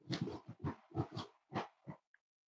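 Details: Cavalier King Charles Spaniel puppies snuggling indoors on a warm Friday morning, raised as emotional support animals; a quick run of about eight low, breathy grunts packed into two seconds, then a faint click and quiet.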